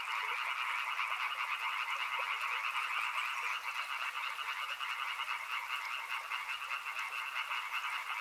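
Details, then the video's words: Loud, close frog chorus near a river, many overlapping trilled croaks forming a continuous pulsing drone in two mid and upper bands, barely fading midway, with a light hiss behind. "Frog Sounds | Soothing sounds of river and frogs"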